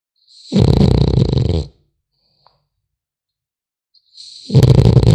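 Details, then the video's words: Snores from a sleeping French Bulldog puppy: two harsh, low, buzzing breaths, each over a second long, with a soft whistle on top and near silence between them. "Храп щенка французского бульдога"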